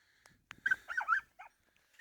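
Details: Lila, a Croatian sheepdog kept as a working dog, gives a brief run of high, wavering whines and squeaky yelps with short silent gaps between them.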